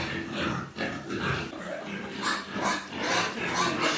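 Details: Newborn piglets with their mother, crowded together and squealing: dense overlapping high squeals and grunts about twice a second, with bright broadband bursts and steady background noise.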